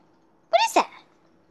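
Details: One brief, high-pitched, bending yelp from Little Bear, a Siberian Husky Alaskan Malamute puppy, indoors against a low steady hum.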